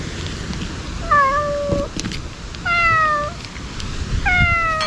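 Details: Wary ear-tipped stray cats meowing at a feeding with wet food and treats, in a place likened to a ruined castle; three drawn-out meows, each level then dropping at the end, separated by pauses and faint outdoor noise.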